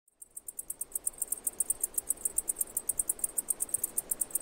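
A cicada gives a rapid series of very high, dry ticking pulses, about eight each second.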